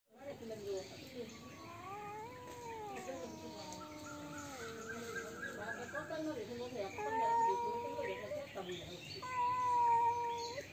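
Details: Cats fighting, giving long drawn-out wavering yowls that rise and fall in pitch, overlapping and swelling into louder wails toward the end, with steady background hiss.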